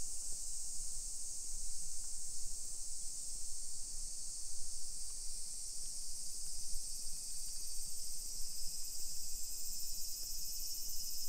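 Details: Japanese summer cicadas heard along streets of a modern hillside neighborhood in Nisshin, Aichi, at 1 PM in late July 2021. A dense, constant high buzzing wash fills the clip, with faint low traffic and step noise beneath.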